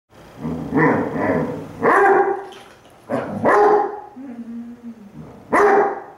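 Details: Two Basset Hounds, one brown and one black, howl back and forth at each other indoors, one lying lazily on its side; four loud harmonic howling bursts with drawn-out wavering tones, separated by short quieter gaps.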